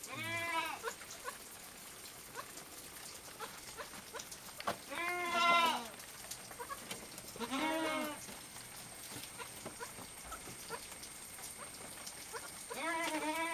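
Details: Three little goat kids feeding on milk give repeated quavering, nasal bleats, four separate calls spaced a few seconds apart, with faint rustling and slurping between them.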